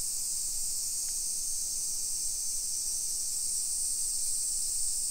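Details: Early-afternoon summer cicada chorus in a modern hillside residential area of Nisshin, Aichi, Japan, July 2021; an even, high sizzling drone that never pauses, with a brief faint click and quiet low background hum.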